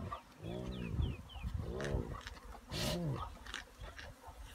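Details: At a giraffe carcass in Singita Sabi Sands, Kruger National Park, South Africa, spotted hyenas squabble with deep, rasping, arched growls about once a second, with the thin, high screeches of vultures and scuffling between.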